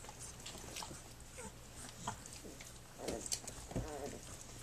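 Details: Three-week-old puppies of Flute, nursing and playing on their three-week birthday; soft, quiet whines rise near the end, with a brief wavering squeal over low rustling and faint clicking background noise.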